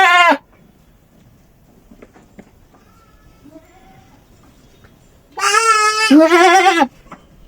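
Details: Goat in heat calling: a short loud bleat at the start, then quiet with faint noises, then two long wavering, quavering bleats back to back lasting about one and a half seconds, harsh and nasal.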